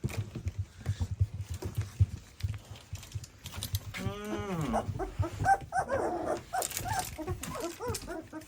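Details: Two-week-old puppies, eyes newly open and moving about, thought to be hungry while their mother sniffs and cleans them: soft thumping and rustling, then a long falling whine followed by rapid high squeaky yelps and whimpers.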